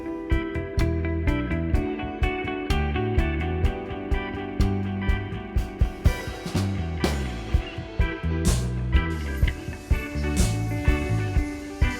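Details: Rock music with electric guitar and bass plays throughout, with no animal sounds. Strummed chords and a steady low beat fill the whole passage.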